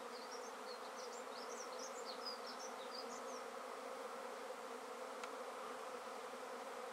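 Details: Honey bee swarm being taken from a tree directly into a swarm basket; a dense, steady buzzing drone throughout, with a string of high chirping bird notes in the background during the first half.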